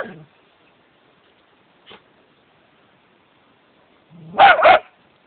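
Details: Monty, a male dachshund, gives two quick, sharp barks in a row after a mostly quiet stretch, barking at the statue of Gellert in Wales.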